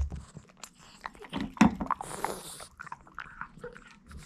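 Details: A Boston Terrier bites and crunches a hard duck-bone dog snack: sharp cracking snaps, a loud crunch near the middle, then scattered softer chewing clicks.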